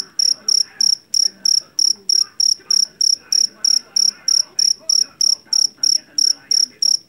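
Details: Shrill, loud chirping of a jangkrik jeliteng, a Javanese cricket captured in a rice field and used against rats at home; pulsed bursts recur about three times a second over a quiet low rumble.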